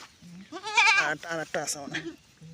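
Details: Goat during kidding on a farm, one strong wavering bleat in the first half followed by shorter quavering cries mixed with nearby people talking and a low steady hum.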